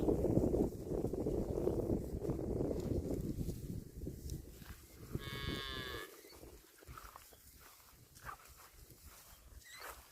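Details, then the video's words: Cattle grazing on grass; a loud low rumble of chewing and movement at first, then a brief higher, harmonic moo around the middle, followed by quieter background with soft scattered thumps. "CUTE AND FUNNY COW SOUND EATING GRASS COMPILATION - COW MOOING"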